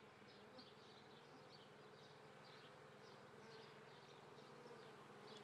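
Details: Honey bees at an apiary near Treviso, Italy, on 22 May 2010 at 9:30 in the morning, during swarming season: a dense, continuous hum of many bees with steady low drone and faint overlapping higher buzzing.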